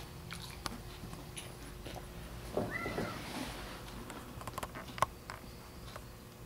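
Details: Male golden tabby cat sharing a home with a female Golden Retriever gives one soft, drawn-out meow that rises then falls, amid a quiet indoor room with light tapping and rustling.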